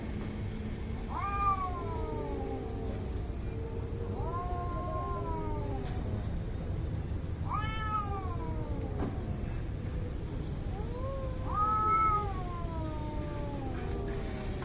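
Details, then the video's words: Fighting cats trading drawn-out howls, four rising-then-falling wails spaced a few seconds apart, a lower moaning voice answering between them, against constant low-pitched background hum. "CAT FIGHT ANGRY CATS - Making weird noise"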